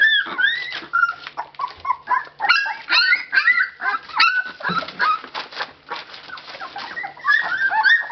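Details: Litter of 19-day-old Labrador Retriever puppies at Labradors Yochiver in Belgium, eyes open for a few days, making noise: overlapping high-pitched squeals and whines, many rising then falling, tumbling over one another in a continuous chorus with short gaps.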